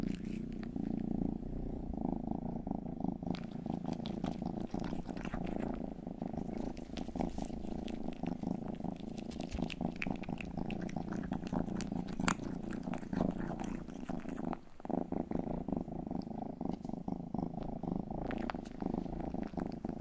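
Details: Domestic cat named Rang-i, the youngest of the household's cats, purring indoors during grooming; a steady low rumbling drone with pulsed texture runs throughout, broken by frequent sharp clicks and licking noises close to the microphone.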